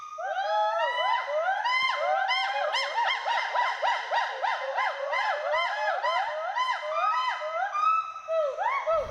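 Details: Two endangered Western hoolock gibbons playing, climbing and swinging through trees at Hollongapar Gibbon Sanctuary, Assam; loud overlapping rising-falling whoops repeated rapidly, several voices at once, continuous throughout.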